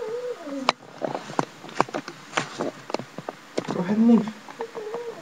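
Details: Indoors, house cat Kairi, which is said to talk, answers with several bending, nasal meows, ending in a louder drawn-out wail like "noooo". Scattered taps and handling noises surround the calls.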